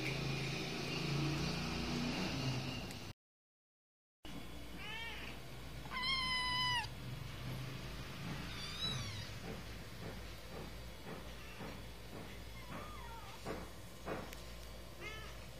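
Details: Kittens 49 days old, one of three indoors that are still nursing from their mother though already eating dry food, give several high, clear, harmonic meows, some rising then falling, spaced over the stretch among soft clicks and taps.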